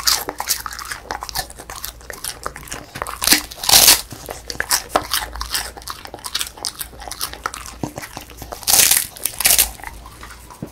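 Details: Female beagle, born December 2016, eating a crispy puffed rice snack indoors in a small room; sharp crunching bites in scattered bursts, the loudest near four and nine seconds, with softer chewing clicks between them.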